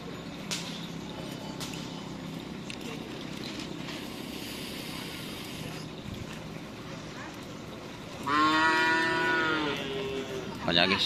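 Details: Madura cattle at bull-racing (karapan sapi) practice at Asemanis field, Pamekasan; a loud harmonic moo rises around eight seconds in over a steady crowd and vehicle din, with a sharp noise at the end.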